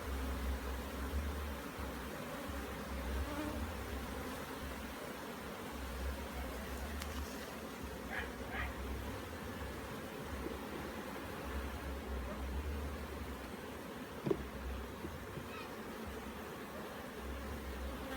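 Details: Hive bees in Jamaica humming steadily while a beekeeper inspects the super box before moving down to the brood chamber. Continuous layered buzzing over a deep rumble of wind and handling, with a few short sharp clicks.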